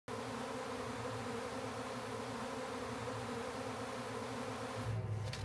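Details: Massive honey bee swarm found in a backyard, being captured by a man and moved onto hive frames: a steady, dense low hum with even buzzing bands throughout and a few handling noises near the end.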